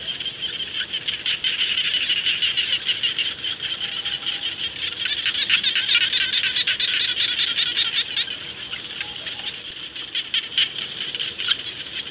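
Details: A chorus of frogs in rice fields, the frog known locally as jana, giving fast trains of sharp, high pulsed notes about two to three per second, swelling in the middle and easing toward the end among many overlapping callers.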